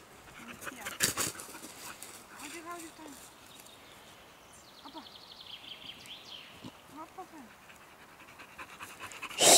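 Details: A Pit Bull playing on a springpole hung from elastic ropes, breathing in quick, breathy pants amid scattered sharp rustles and snaps; human voices speak briefly now and then.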